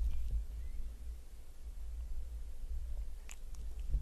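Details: Domestic cat purring while eating a pyramid of shrimp, close-up. A steady, deep low rumble runs throughout, with only a few faint chewing clicks and light crunching on top.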